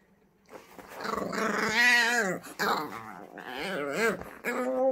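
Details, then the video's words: Female French Bulldog puppy, nearly five months old, in a puppy freak out while playing alone, making odd sounds: a string of wavering, warbling whines and yowls with bending pitch, broken by short pauses, ending in a higher sustained whine. "French Bulldog puppy freak out"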